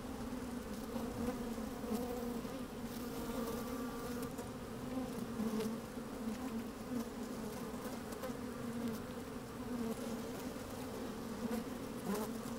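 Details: Honey bees working inside an open hive on a fine sunny day, recorded with a microphone slid down into the hive: a steady, dense hum with a strong low drone and layered overtones, continuous throughout, with faint crackles of bees moving about.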